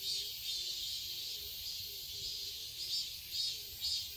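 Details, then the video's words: Summer cicadas buzz in a garden in Seoul, Korea, a continuous high hiss that swells into brighter pulses near the end, over a quiet low background. "Cicadas chirping sounds"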